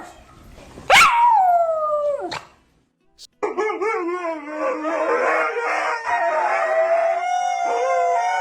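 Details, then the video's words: A dog howling loudly, among four dogs: a sharp cry falling into a sliding howl, then after a gap a dense chorus of overlapping wavering howls held to the end. "PERROS AULLANDO (FUERTE) 🐶 Sonidos de Perros Aullando"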